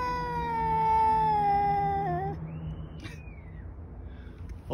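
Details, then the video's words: Two male cats yelling at each other outdoors without coming to blows: a strong, sustained wail slowly falls in pitch, wavers, and breaks off, then a softer gliding cry trails away. "Outside male kitties like to yell at each other but never fight."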